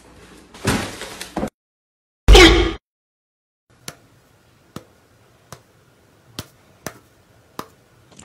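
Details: Rustling and a loud slam are followed by a run of sharp, spaced taps in a quiet room.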